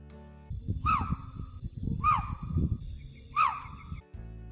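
A male chital gives short, sharp, high-pitched barks, repeated roughly every second and a half.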